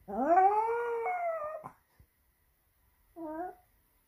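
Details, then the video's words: A Pomeranian howls theatrically for attention in Saint Petersburg, Russia, September 2021: a rising, drawn-out howl of about one and a half seconds, a pause, then a brief, softer howl. "Pomeranian howls very dramatically to attract attention"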